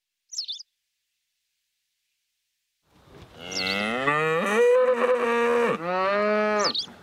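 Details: Herd of Charolais suckler cows on pasture. After about three seconds of quiet, one long loud harmonic moo lasts roughly four seconds and wavers in pitch midway. Brief high bird chirps come at the start and the end.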